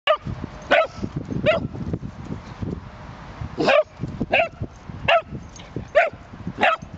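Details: A Cavalier King Charles Spaniel playing with another dog in a park: sharp, high yapping barks come in uneven bursts, about nine over seven seconds, above low rumbling background noise and scuffling.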